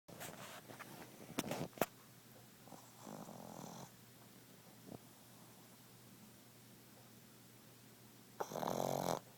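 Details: A pug snoring while awake: short raspy, rattling snorts near the start and middle, then a louder harsh snore burst near the end, over a steady low hiss with a few clicks.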